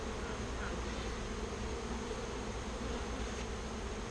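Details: Bees being rehoused from a birdhouse into a bee box, described as calm but active, give a soft, low, steady hum under a rumbling background with no distinct pitch.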